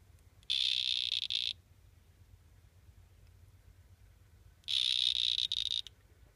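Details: Three male Excidobates mysteriosus dart frogs; two high, buzzy trills of about one second each, roughly three seconds apart, with near silence between them.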